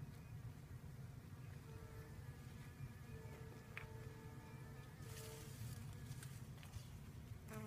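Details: Honey bees pollinating sorghum: a steady, low, droning hum with faint wavering tones above it, and a few brief higher buzzes passing near the end.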